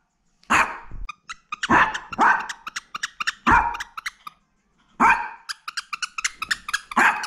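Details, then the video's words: Black teacup Toy Poodle named Mino, born November 2017, barking furiously indoors out of jealousy at a visiting poodle friend: sharp, loud barks in bursts of two or three, with brief pauses between volleys. "극대노의 순간"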